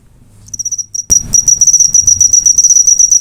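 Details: Cricket chirping, a prized recording used as master audio for training cage birds. A few soft high pulses open, then a loud knock is followed by a rapid, shrill, tightly pulsed trill that runs without pause.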